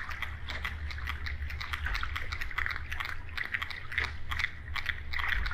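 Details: Sperm whale echolocation clicks, described as coda clicks: a dense, irregular train of sharp broadband clicks, some bunched in quick bursts, over a constant low underwater rumble and a faint steady mid-pitched hiss.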